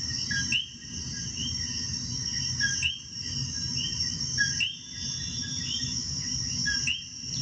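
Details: Puerto Rican coquis singing together, many brief rising whistled notes overlapping, set against a constant shrill insect buzz and low background rumble, with a few short lulls.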